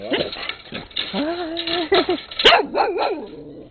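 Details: In late 2006 Rusty, a brown skinny mutt, barks up a storm beside Peekero, a red Husky. Quick barks and higher yips tumble out unevenly, and a voice speaks to the animals.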